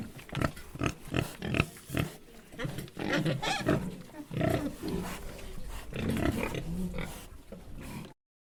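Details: Domestic pigs on a pig farm grunt and oink in low, irregular bursts, with a few higher squeaks mixed in.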